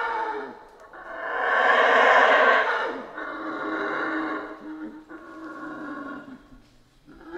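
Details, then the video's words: Roaring of howler monkeys in Central American rainforest, a loud rasping howl peaking early, then easing into a lower, steady droning roar with fluctuating intensity and a fading tail. "Rainforest Howler Monkeys Sounds"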